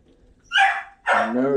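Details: A pet Dachshund barks intermittently in the background while other Dachshunds are groomed indoors: two short, sharp, harsh barks about half a second apart, the second with a lower, rougher tail.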